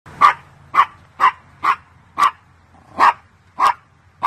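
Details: Pomchi, a Pomeranian and Chihuahua mix dog, barking; sharp, clear mid-pitched barks repeat about every half second, eight in a row, against a quiet background.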